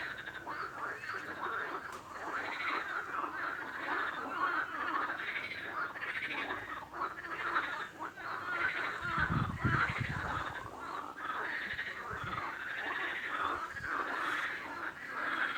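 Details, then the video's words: A continuous chorus of many frogs, rapid throaty croaks layered over one another, with a short low thumping noise partway through. "Frog Sound | Bruit de Grenouille | Kurbağa Sesi"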